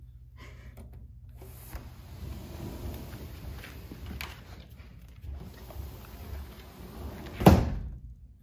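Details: Quiet indoor room tone with faint shuffling, then a loud thump near the end, and no animal voice heard.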